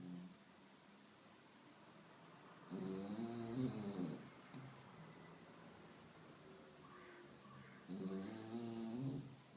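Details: Spaniel snoring: two long rasping snores, each a rough buzzing inhale with a faint whistling edge lasting about two seconds, separated by quiet breathing, indoors.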